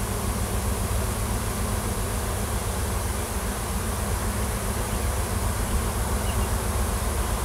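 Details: Honey bee swarm, wild, hanging in a farm tree in Washington after a new queen left the nest with many workers, looking for a new home; an unbroken, deep buzzing roar of many wings.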